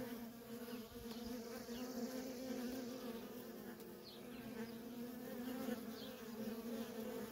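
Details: A thick, continuous hum of many worker honey bees coming and going at a feral colony. The drone rises and dips gently as bees fly in and out of range.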